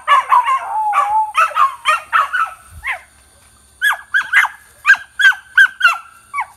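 Australian Cattle Dogs answer coyote howls with a chorus that starts as wavering, sliding howls. It breaks into a series of short, rising yips, repeated about every half second.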